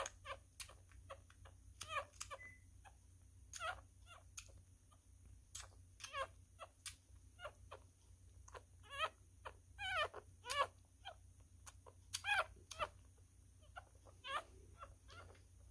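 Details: A newborn miniature schnauzer, male, feeding by hand indoors and eating messily; frequent sharp sucking clicks run throughout, broken by a few thin whining squeaks around the middle and later on.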